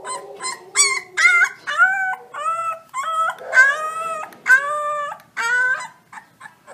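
Wolf pups give a run of short, high, wavering howls, each note bending up and then sliding down.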